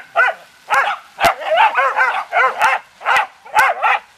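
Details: Dog from a beagle and dachshund family barking at leaves hit by hose water during play, a fast run of about a dozen hoarse, ringing barks, often in pairs, with sharp clicks among them.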